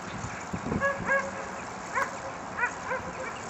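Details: Afghan Hound and Saluki dogs training at the Służewiec racetrack on 28 February 2010: a run of sharp, high yipping barks in quick bursts, about six over three seconds, over a steady outdoor background hiss.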